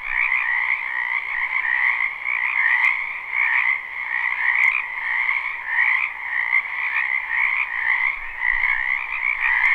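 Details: Massed frog croaking from a spring wetland, live recording: a steady, shimmering chorus of rapid trills that swells and dips slightly, with a few faint clicks.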